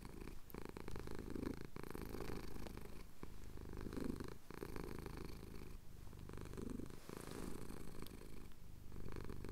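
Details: Pet cat in the Cotswold hills at sunrise, purring as his chin is scratched, captured on a Tascam DR-07X; soft, continuous low throb with gentle breath-paced surges under a light hiss and occasional clicks.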